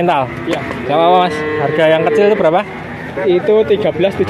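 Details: Male calves, part of a group of 19 bought from a cattle dealer in Grabag, Magelang: several nasal, harmonic moos, a long wavering one near the middle and shorter bleating calls later, with men talking throughout.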